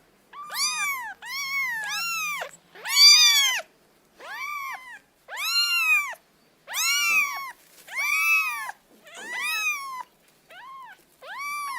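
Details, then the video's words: Kitten meowing in a steady series of about ten arched, rising-then-falling meows, each roughly half a second long with rich harmonics, spaced by brief pauses; clean recording with no other sounds. "Kitten Meows Sound Effect."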